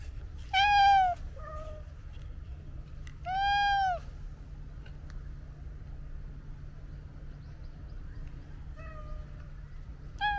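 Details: Domestic cat meowing: two loud, drawn-out meows, each rising then falling, about three seconds apart, followed by softer, shorter meows near the end over a steady low hum.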